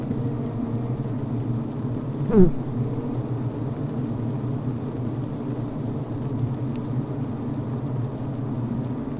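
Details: Honey bee colony heard from within a healthy hive at the brood frame: a continuous deep drone, broken once by a short sliding buzz, like a worker's bzzt at the recording device.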